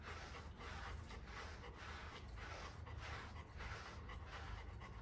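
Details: Golden Retriever being brushed indoors, panting in steady rapid breaths, a soft rhythmic huffing that continues without pause through the clip, with faint room noise behind.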